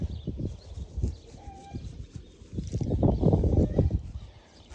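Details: Two young captive wild boars, affectionate with their keepers, one of them unwell with a stomach upset that morning; low, rough grunts and snuffles come in quick pulsed bursts, with a few quiet pauses between.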